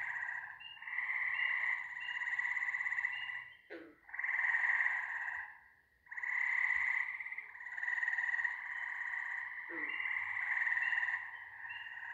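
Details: Many frogs calling at once in a continuous grating, pulsed trill that rises and falls in waves, with two brief quiet gaps and a couple of short sharp knocks.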